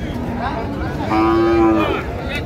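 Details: Skinny cow at Ambari haat cattle market, Dinajpur, on 8 August 2025, giving one steady, level moo lasting under a second amid dense crowd chatter and bargaining voices.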